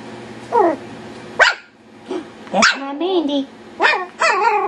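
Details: Yorkshire Terrier puppies playing wildly together: several short, high rising yips and barks, spaced irregularly and about a second apart, with a person's voice talking in the background.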